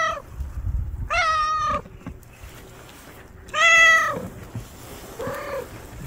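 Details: Cat family gathered at a meal, street cats: three harmonic meows, two long loud ones near the start and middle and a shorter softer one at the end, with low background rumble.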